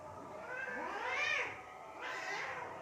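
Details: Cat fight in Assam, India, with one long rising-then-falling yowl and a second, harsher wail starting right after it.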